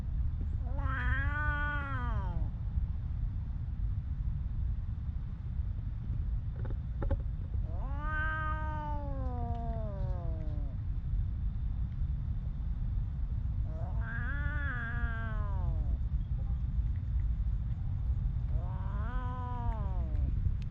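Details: Four long plaintive meows from a stray cat living on the streets of Ras Al Khaimah, UAE, each rising then sliding down, spaced several seconds apart over continuous low background rumble.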